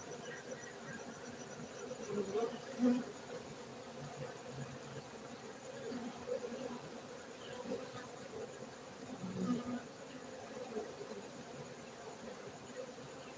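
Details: Dense, even droning of a honey bee colony at a bee farm in Bener Meriah, Gayo, Aceh, Indonesia; a mid-low hum with occasional louder bees flying close past.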